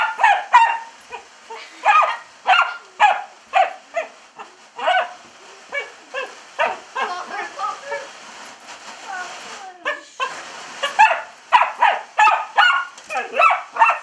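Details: Indoor dachshund barking at a window being squirted with hose water while it licks and bites at the glass; sharp, high barks repeat in rapid bursts about twice a second, with short pauses and human voices mixed in.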